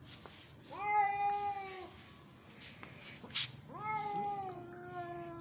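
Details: Angry Persian cat yowling loudly indoors: two long drawn-out harmonic wails, each about a second, rising at onset then holding level and fading, separated by a short pause with a brief noise burst.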